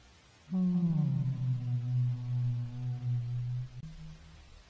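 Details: Humpback whale song: one long, deep moan that slides down at its start and then holds a steady low tone with rich overtones for about three seconds before a brief higher note.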